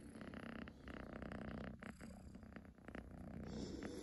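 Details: Young domestic cat purring, a rapid pulsing rumble about three beats per second, steady and close, with a short dip in the middle before resuming strongly.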